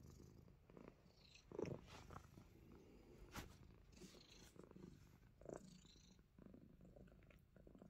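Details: Persian cat of the Himalayan type, a pet biting fingers in play, gives a continuous low purr with a few louder mid-pitched swells and sharp handling clicks scattered through.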